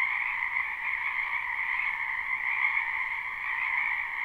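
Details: Many frogs calling in a spring wetland behind a house, recorded live: a dense, unbroken chorus of shrill trilling croaks forming a steady high drone with a lower humming layer beneath, no pauses, no other sounds.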